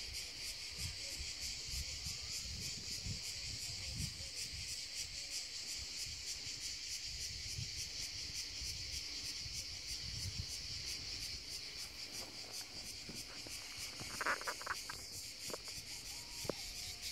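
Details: A cicada found on a tree in the hills sings a steady, high, rasping buzz with a fast regular pulse throughout.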